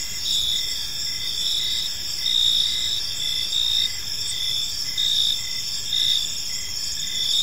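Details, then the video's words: Peaceful evening park ambience dominated by crickets: a steady high-pitched buzzing chorus with rhythmic chirp pulses and slight swells in loudness every second or so. "Cricket Sounds in a Peaceful Park"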